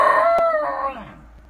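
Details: Shiba Inu at home giving the tail of a howl: a steady, tonal, ringing note that fades away over about a second and a half.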